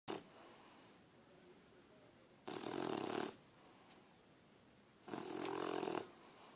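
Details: Harley, a puppy, sleeps on someone and snores: two rasping breaths, each about three quarters of a second long, a band of roughness with a warm low core, separated by quieter pauses of two to three seconds.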